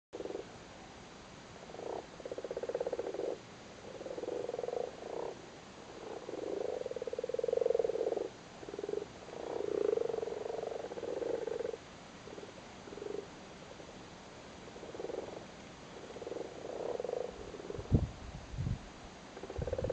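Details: Male Irish frogs in a flooded cattle grid in Cork, Ireland, sitting on their spawn during spawning season, give a soft low purring croak in overlapping bursts of a second or two, rising and falling as several call together.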